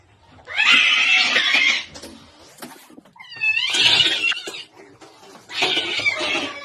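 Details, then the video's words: Angry domestic cat from a compilation of pet clips: three loud, harsh bursts about a second each. The middle one carries a wavering, strained yowl over hissy noise. The others are rasping and broadband, with quiet gaps between them. "Angry Dogs & Cats"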